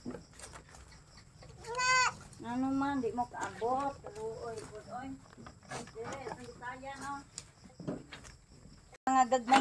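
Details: Goats in a goat pen visited late at night, several loud, wavering harmonic bleats in close succession, one high and strained near two seconds, then more near nine seconds, mixed with a man speaking.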